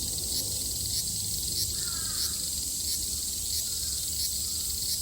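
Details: Japanese cicada chorus recorded in summer 2022, a continuous shrill buzzing hum carrying soft rhythmic pulses about every second, with a brief faint bird-like chirp near the middle.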